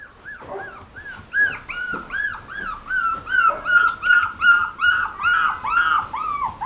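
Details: Male Bull Terrier whimpering in a steady series of high, arched whines, each rising then falling, repeated about two and a half times per second and growing louder toward the end. Other dog whines overlap faintly.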